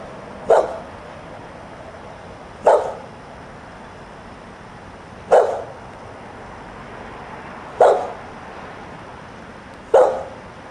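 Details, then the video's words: A dog left outside on a Sunday morning, family inside, barks five times at an even pace of about one bark every two and a half seconds against quiet background noise. "outside barking"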